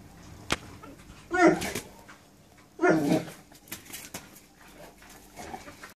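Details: Presa Canario, also called Dogo Canario, a champion show dog, giving two loud harsh barks about one and a half seconds apart, with quieter rustling and small knocks in a room between them.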